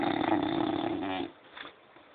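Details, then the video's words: Loud, raspy snore from a French Bulldog, a vibrating rattle lasting just over a second that cuts off abruptly, followed by soft breathing in a small, quiet room. "французский бульдог.душевный храп"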